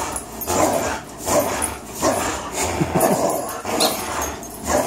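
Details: Two 3-year-old dogs, Fox the Greyhound and Miles the German Shorthaired Pointer, playing a long tug-of-war game as they often do; rough broadband growling bursts come in uneven pulses roughly every second, rising and falling in loudness.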